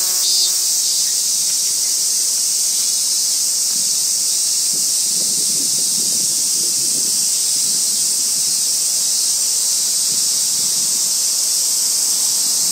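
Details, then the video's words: Robust cicada (Hyalessa maculaticollis) singing on a tree trunk in a small park beside a railway-side housing estate in Kitano, Japan; a loud, steady, high-pitched shrill drone fills the whole stretch without a break. "ミンミンゼミ/Hyalessa maculaticollis"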